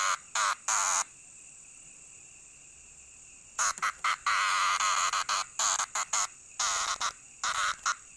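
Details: Loud cicada bursts in irregular runs: three short buzzes, a quiet gap of over two seconds, then dense clusters of harsh pulses and one longer sustained buzz, with a thin continuous high tone underneath.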